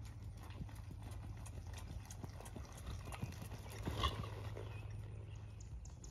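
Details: Eleven-year-old blue roan registered Quarter Horse gelding: soft, steady clip-clop of hooves, quick dull thuds in an even walking rhythm, with a low background hum and a faint distant voice.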